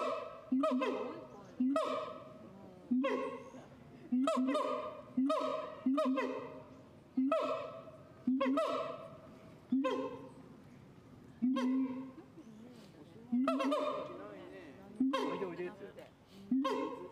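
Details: Siamang giving a long sequence of booming harmonic barks about every one to one and a half seconds, each one loud at onset and then slowly fading away.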